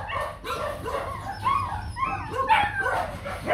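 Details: Young male Rottweiler stud named Nano, bred at the Gervi kennel, son of imported male Bruno and Melsee Gervi, walked outside for display; high yelping whines and short barks with rising and falling tones, overlapping, with a low hum beneath.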